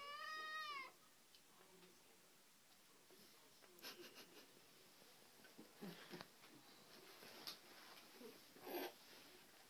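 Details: Domestic cat from a Japanese compilation of funny cat moments. A single clear, high, wavering meow under a second long opens, then a quiet room follows with faint voices and scattered clicks.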